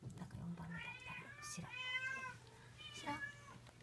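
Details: Young Munchkin kitten at 59 days of age, mewing three times in short succession indoors, each meow thin and high with a gentle rise and fall, a faint low hum and light handling noises beneath.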